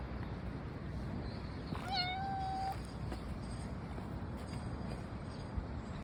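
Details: A brown tabby cat, possibly having wandered about a kilometre from a shrine, gives one clear, drawn-out meow of about a second, held steady then easing off at the end, against a steady windy outdoor background.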